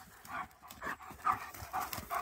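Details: German Shepherds Nico and Zeeva on a forest walk, one dog panting in quick, breathy, rhythmic puffs, about two breaths per second, with a brief rustle of movement between shouted commands.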